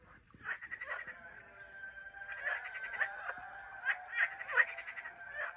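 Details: Chorus of Turkish frogs: quiet start, then many overlapping buzzy, pulsed croaks building toward the end with sharper individual calls standing out.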